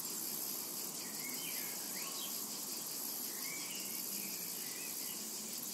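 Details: A summer meadow rings with the steady, piercing high drone of cicadas, joined by scattered faint whistled bird calls in the background.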